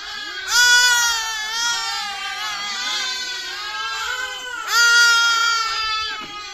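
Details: Sheep (lamb) (Ovis aries), bleat.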